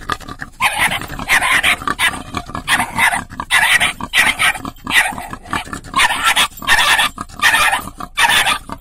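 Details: Dog barking at a wild boar that is trying to get into a car through the window and damaging the door; harsh, broadband barks come in steady bursts, roughly one every second, loud and continuous throughout.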